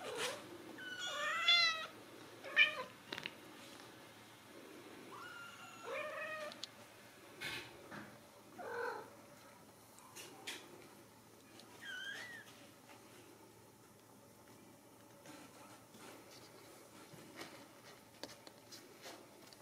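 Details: High-pitched mews from Ragdoll kittens in a central Kansas home cattery, several short wavering calls in the first half mixed with rustling and bumps, fading to quieter scattered squeaks and handling noise later.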